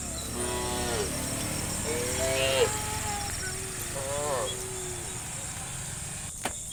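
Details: Herd of cows walking slowly along a dirt village road toward grassland on a dewy morning, guided by a shepherd; several soft, short harmonic moos, some wavering, amid steady high insect-like hiss and a sharp click near the end.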